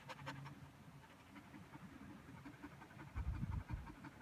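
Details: Tired Border Collie after fetch, breathing in quick irregular pants about three per second, low and soft, with a louder thump or rustle near the end.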